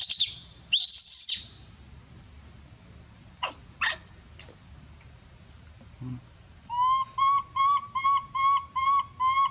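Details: A young monkey gives loud, shrill screams calling for help, then a rapid run of short, harsh-edged, whistled cries.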